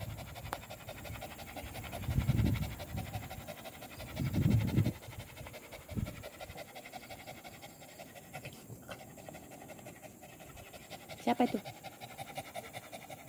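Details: Village dog (anjing kampung) out on an evening walk, 18 April 2021: soft, breathy low panting bursts near two and four and a half seconds, then quieter breathing, with a brief sharper sound late on and outdoor background hiss.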